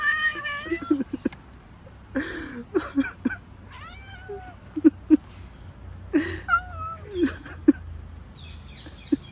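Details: Female cat reacting to a back scratcher on her back: a drawn-out meow opens, followed by short chirps, trills and upward-bending squeaks interspersed with sharp tapping clicks at irregular intervals.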